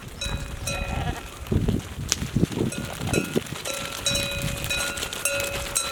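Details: Arriving sheep flock caught live by a Canon camera set up in wait: short coarse bleats scattered amid clinking bells that ring and decay, with dense hoof scuffing and trampling throughout.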